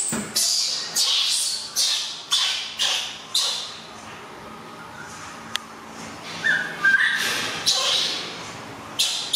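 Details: Baby monkey Alan crying because he wants to sleep while his busy mother is away: a run of harsh, noisy, high-pitched screams, each about half a second, in quick succession, then a quieter stretch with a brief squeal near the end.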